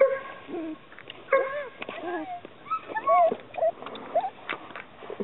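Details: Whimpering Chesapeake Bay Retriever pups, a run of thin, wavering whines and squeaks that rise and fall quickly, one overlapping another in close succession.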